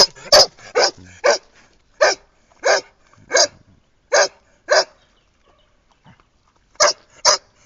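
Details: Irish red setter Scarlett, enjoying her walk round by the pool in 2010, barks in a steady series of sharp loud barks, falls quiet for about two seconds, then adds two final barks.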